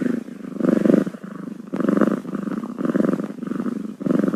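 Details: Six-day-old kittens, a steady low purr rising and falling in pulses about once a second, with a brief soft squeak near the middle.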